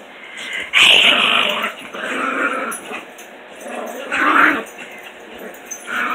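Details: Playing puppies, recorded in the morning, give two loud, rough growling bursts at about one and four seconds, with quieter grumbling between them and a steady background hum.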